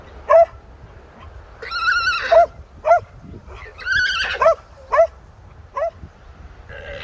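An alpaca gives its alarm call, shrill, whinnying bursts repeated every second or so.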